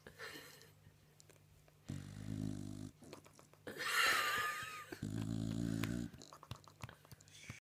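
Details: Bulldog asleep indoors, giving deep, rasping snores about three seconds apart, each roughly a second long, separated by softer breaths; a brief squeaky whistling noise falls between two snores.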